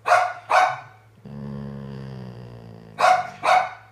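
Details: Sophie, a senior female Golden Retriever, 'talks' to her owner, seemingly wanting attention: two quick, sharp barks, a drawn-out moaning grumble wobbling in pitch for nearly two seconds, then another pair of barks.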